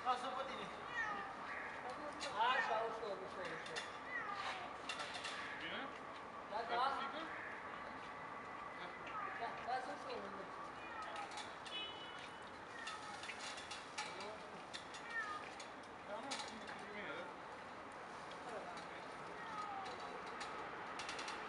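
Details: Cat stuck in a tree during a rescue in sector 4, Bucharest, Romania. It gives repeated plaintive rising-and-falling meows at irregular intervals, mixed with people talking in Romanian and outdoor urban noise.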